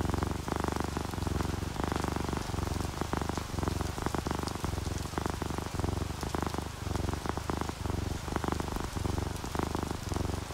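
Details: Sleeping orange tabby and calico cats purring while relaxed, a low rumbling purr pulsing in steady breaths about every half second, mixed with the patter of rain and dripping raindrops throughout.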